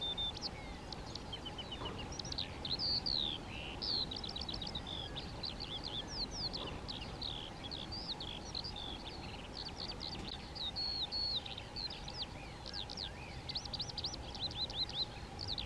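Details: European ground squirrels (Spermophilus citellus) in a colony, communicating by voice: dense, overlapping short high whistles, many sweeping sharply downward, given in irregular bursts throughout, over a steady low hum and background noise.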